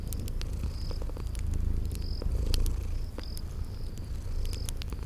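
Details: Purring from sleeping kitties by a crackling fire in a spring garden setting. A deep continuous vibrating rumble swells and fades slightly, overlaid by scattered fire snaps and brief high insect chirps recurring every second or so.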